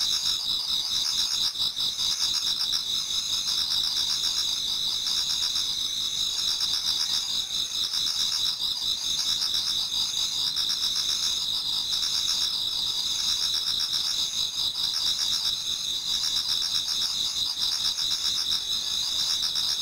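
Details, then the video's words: Many autumn insects sing toward dawn in a Japanese garden: dense, steady high-pitched trilling bands layered together, with faint pulsing chirps beneath, continuous without pause. "Autumn Insects voice Towards dawn"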